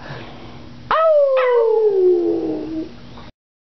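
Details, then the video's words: Boston Terrier that sings when prompted gives one sustained howl that starts high and glides steadily downward for about two seconds, then stops abruptly. "jack le chanteur"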